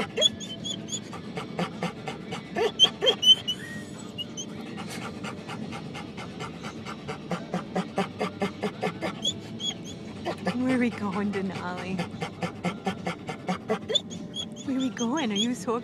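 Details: Denali, a pet dog riding in a car and hoping to go to the dog park, pants excitedly in quick, uneven bursts, with short whines breaking in near the end and a person talking to the dog between breaths.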